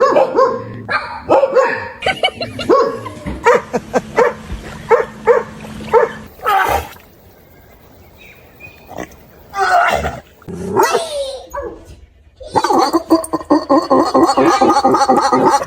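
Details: Dogs making strange noises: a run of short harmonic yelps and whines in the first six seconds, a quiet gap, then a rising-and-falling howl-like cry near ten seconds and a dense, noisy burst of sound at the end.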